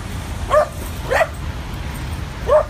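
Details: Adopted dog playing at a dog park on the west side of New York City near the West Side Highway, its first visit; three short yappy barks about a second apart over low traffic rumble.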